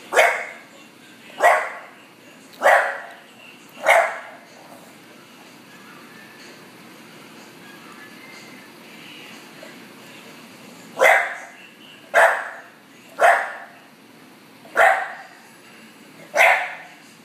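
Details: Bulldog, female, barking because she is ignored; a run of four abrupt barks, a long silent gap of several seconds, then six more barks at roughly one-second intervals.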